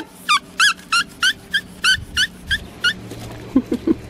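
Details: Australian Shepherd puppy, a blue merle male almost five weeks old, filmed November 5, 2020 in Oklahoma: about nine sharp, high, slightly falling yelps, evenly spaced roughly three per second, then a few low soft grunts and faint background hum.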